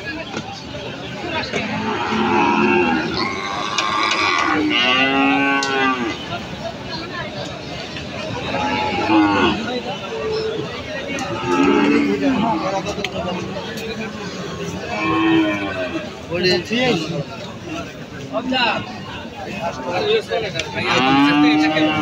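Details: Cattle, including cows, bulls and calves, at the Aricha cattle market in Bangladesh; drawn-out lowing moos rise and fall against dense crowd chatter and market noise.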